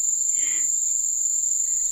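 Crickets keep up a steady, very high-pitched trill through the night.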